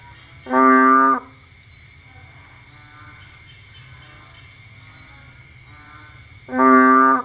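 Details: Bullfrog in Cambodia, out at night in the rain looking for food: two loud nasal, moo-like calls, each about half a second long, roughly six seconds apart, with a faint steady hum between them.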